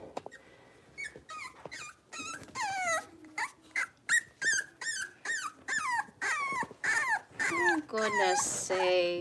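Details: A litter of five six-week-old Blenheim Cavalier King Charles Spaniel puppies in their indoor pen. Steady run of short, piercing whimpers and yelps, roughly two a second, each sliding downward in pitch, with faint voices behind.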